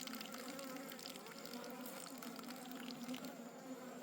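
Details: A steady, even drone from a wild honey bee swarm whose comb is being harvested in the forest, with faint crackling and rustle layered over the hum.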